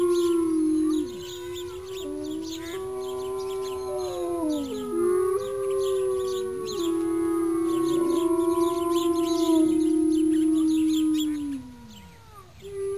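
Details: A group chorus of wolf howls: overlapping drawn-out tones bend, rise and fall over about eleven seconds, then fade. One last howl begins at the end. Rhythmic high chirping runs throughout.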